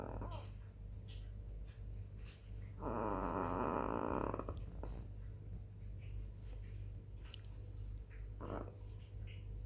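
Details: Black female chihuahua asleep, 18 July 2021, 21:07: a loud buzzing snore lasting over a second, followed later by a brief softer snort, with a low hum throughout.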